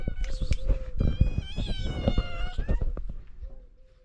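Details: Stray cats in Morocco seeking food in the morning; a long, loud wavering meow over overlapping shorter cries and thumping handling noises, ending in a softer steady mew.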